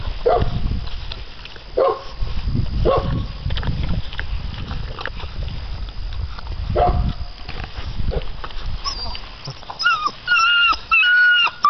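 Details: Six-week-old American Bandog Mastiff puppies, ten pounds each, chase a chicken tied to a weighted string during a prey drive test; short harmonic yelps come every second or so over scuffling and thumps, and a few whistled tones sound near the end.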